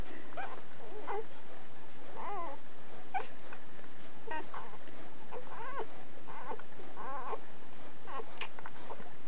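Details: One-week-old Schapendoes pups indoors, making a run of thin, high, wavering squeals and whimpers, repeated roughly every second, with soft rustling beneath.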